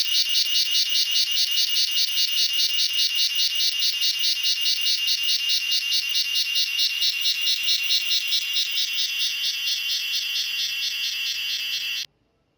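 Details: Cicada singing its evening call in a garden, on mango and coconut trees; a shrill, high, rapidly pulsed buzz of about three to four pulses a second, steady throughout, stopping abruptly near the end.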